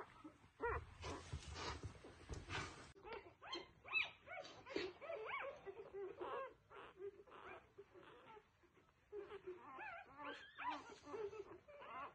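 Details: Newborn F1B Goldendoodle puppies whine and squeak in a dense, overlapping jumble of thin, high cries, with rustling and a brief muffled thump near the start.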